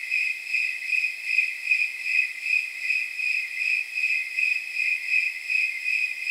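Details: Regular, high-pitched chirps of snowy tree crickets on a warm night near 79 degrees, like soft jingle bells, pulsing evenly about two and a half times a second with no other noise.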